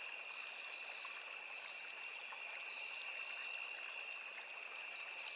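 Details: Forest crickets beside a small river keep up a continuous shrill double-toned trill, even and unchanging, with the murmur of the stream beneath.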